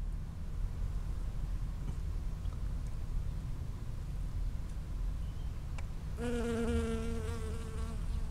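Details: Bee foraging from flower to flower in a strawberry field, 19 June 2011, recorded from 5 cm or closer: after six seconds of low rumbling background, a steady low harmonic buzz starts and holds for about two seconds.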